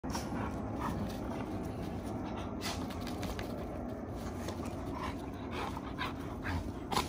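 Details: Several Giant Schnauzers wrestling and tussling in rough play: steady panting and scuffling, dull thumps and brief sharp clicks over a constant low rumble.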